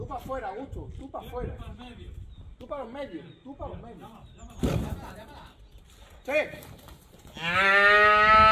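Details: Young female calf during a bullfighting training session at a private bullfighting school on a cattle ranch; men talk for most of the clip, then a loud, harmonic, strained bellow near the end lasts about a second.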